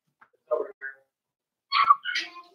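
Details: Four-week-old Cavalier King Charles Spaniel puppies from Daisy's litter in their pen; low murmured grumbles give way to a loud rising squeal and a drawn-out wavering whine.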